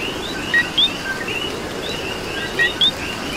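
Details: Puerto Rican coqui chorus at night in rain: two bright two-part calls, each a brief low note followed by a quick upward whistle, set against many fainter overlapping chirps and continuous rain noise.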